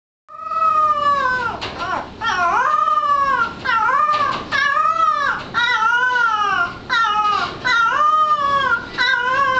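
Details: A bloodhound puppy learning to bay in 2009 gives a run of drawn-out, tuneful howling notes that swell and bend in pitch, each about a second long, with brief breaths between.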